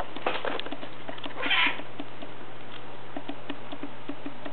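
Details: Black house cat resting in a lap utters one short, breathy meow midway through, surrounded by light tapping and rustling over a constant low hum.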